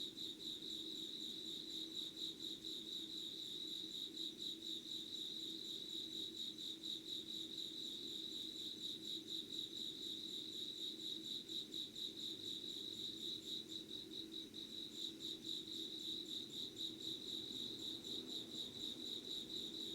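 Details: Early-morning insect chorus, 25 August 2019 at 5:00, Yugawara in Kanagawa, Japan; shrill chirps pulse in an even rhythm throughout, layered with quieter high harmonics and a steady low background hum.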